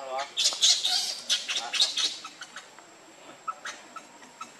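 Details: Lucie, a baby monkey, cries in a string of sharp, piercing squeals and squawks, loudest in the first two seconds, then softer scattered peeps as the calling tapers off.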